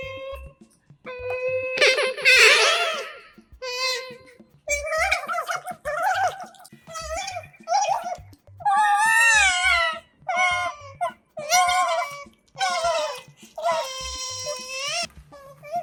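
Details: Kotaro and Hana, pet otters, chewing food with a mic close by: repeated squeals and wavering chirps, several sliding up and down in pitch, in bursts about a second long, with light music beneath.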